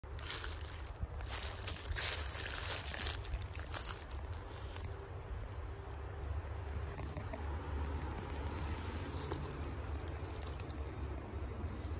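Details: Outdoor street ambience of wind buffeting and low traffic rumble, with no clear animal calls.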